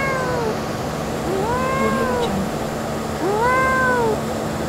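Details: Blue-eyed kitten outdoors mewing three times, each meow a slurred arch that climbs and then sinks, with pauses of about a second between calls against a faint constant hum.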